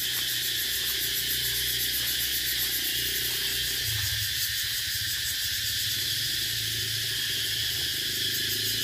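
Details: An unbroken, high, sizzling cicada drone dominates, while a low humming or croaking sound rises and fades beneath it in the background.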